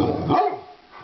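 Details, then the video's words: A single short, deep bark from one of two Rottweilers at play on New Year's Day, fading quickly into near quiet. "Rottweilers playing"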